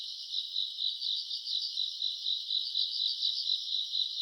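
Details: Grass insects calling on a summer night, self-recorded around August: a dense, steady high-pitched chirring chorus with fast pulsing shimmer throughout and no other sounds.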